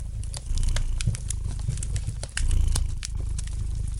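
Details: Gentle purring of a cat near a fireplace: a deep, continuous throb rising in louder waves roughly every two seconds, with scattered snaps and crackles of burning wood on top.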